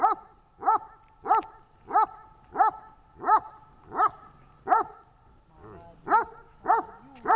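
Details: Tash, a dog in training at Horlivka on 18 August 2019, gives a run of evenly spaced loud barks about every 0.6 seconds, a brief pause with softer muffled sounds, then the barking resumes.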